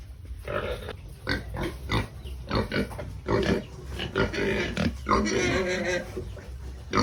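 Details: Pigs making a racket while being fed, giving loud choppy grunts in irregular bursts, then a longer strained squeal near the five-second mark, followed by more grunting.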